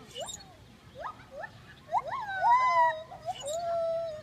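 A gibbon sings a series of rising, whooping notes that lengthen into sustained, wavering hoots.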